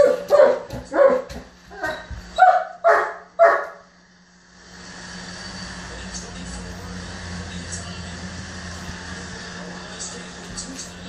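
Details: Male German Shepherd throwing a tantrum because his ball went under the bed: a quick run of short, yelping barks with whiny tones over the first few seconds, then only a steady background hiss.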